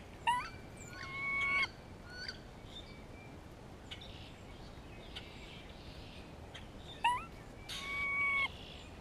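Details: Grey squirrel in spring, calling to another squirrel and reacting to a hawk nearby: two drawn-out, nasal, harmonic cries that rise quickly and then hold level for over a second, separated by short faint chips.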